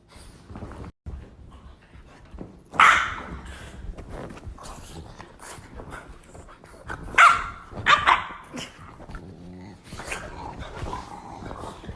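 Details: A dog named Valentina, angry at being pestered to play by her brother Henry while wanting a nap, lets out sharp, loud barks in isolated bursts, with low grumbling in between and a person speaking.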